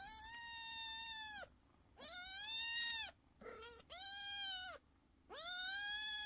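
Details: Loud kitten meows in a steady series, four long drawn-out arched calls about every one and a half seconds with a short lower squeak between, clear and insistent.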